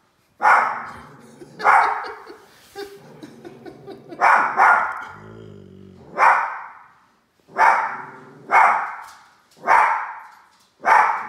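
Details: Two little dogs barking at a large toy, a steady run of about ten sharp barks spaced roughly a second apart, with a brief lower growling whine midway.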